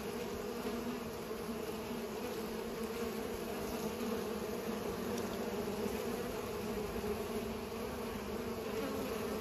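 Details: Pollinating bees produce a continuous layered buzzing hum, even in loudness throughout, with no breaks and faint brief clicks over the drone.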